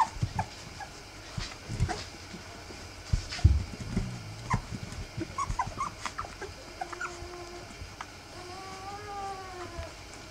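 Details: Three-week-old Rough Collie puppies of Wallis whimper: after rustling and soft thumps, thin drawn-out whines appear in the second half, a few short ones, then longer wavering tones rising and falling near the end.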